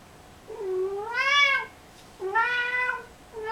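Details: Kissel the cat, indoors, gives two long, drawn-out harmonic meows, the first rising and swelling before falling away, the second level and slightly shorter, with the start of a third at the end; quiet room otherwise.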